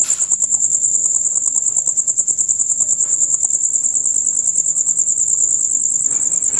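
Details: Male crickets in a loud, rapid chirping concert of the kind heard from dusk until dawn; a dense, very high, steadily pulsing trill runs unbroken through the whole stretch over a faint low background murmur.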